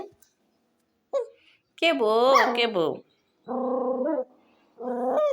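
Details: Dog giving drawn-out, wavering, howl-like vocalizations: a short yip, then a long bending cry of about a second, followed by two steady, flat-toned calls, with silence between.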